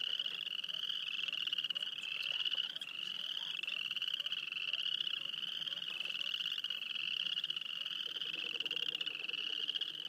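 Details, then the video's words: Field recording near Wayne, Alberta of a frog chorus, many callers merging into one steady high trill that swells and dips in slow waves, faint lower pulsing notes near the end. "Field recording of frogs near Wayne, Alberta."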